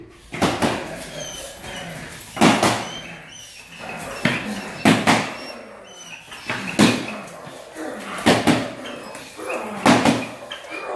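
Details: German Shepherd at the start of attack and protection training, barking in sharp, loud bursts roughly every one and a half seconds, with a man's voice heard between the barks indoors.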